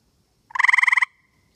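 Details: Tree frog calling from a tree on a humid night in Connecticut, calling to its mate: one short, rapid pulsed trill of about a dozen evenly spaced notes lasting half a second, in otherwise quiet surroundings.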